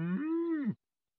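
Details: Healthy newborn calf gives a single drawn-out moo of under a second, steady in pitch with a slight rise at the start and a drop at the end, in a quiet indoor space.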